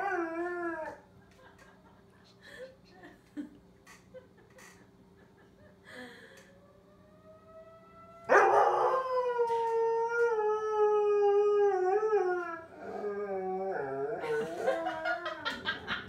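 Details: Korben the dog howling with the monthly tornado siren test. One howl trails off, then comes a quiet stretch with scattered faint sounds and a thin rising tone. A powerful sustained howl lasts about four seconds and breaks into short, wavering yipping howls.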